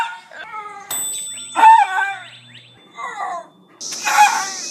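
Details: A male pet dog in Ohio gives short, squeaky, high-pitched barks and yelps in separate bursts while trying to poop during potty time.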